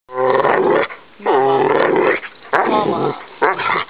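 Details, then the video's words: Pet dog that says "Momma" when asked and is learning other words: three to four drawn-out, moaning, growly vocal phrases with bending pitch, each lasting about half a second to a second, separated by short pauses. "OUR DOG CAN TALK!!!!!!"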